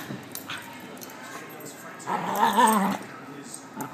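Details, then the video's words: Puppies playing; one gives a drawn-out, wavering whine lasting about a second amid quieter scuffling and faint clicks. "Puppy play"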